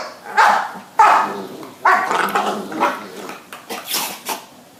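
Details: Pet dogs Babette and Luke after Babette rebuffs Luke's advances: several rough, breathy barks in quick succession, then softer huffs and a hissing sneeze near the end.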